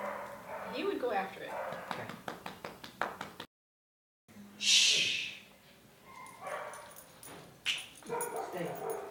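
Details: A leash-reactive dog, barking from fear and not knowing what to do, gives sharp, harsh barks in uneven bursts during a training session while a man talks over it.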